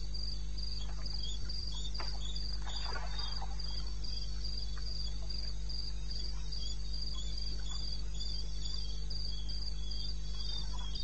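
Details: Night chorus of a cricket in eastern Botswana wilderness, 02:30 AM, 21 May 16: shrill pulses in a regular fast rhythm, a weaker lower pulsing line, scattered faint clicks and a continuous deep background hum.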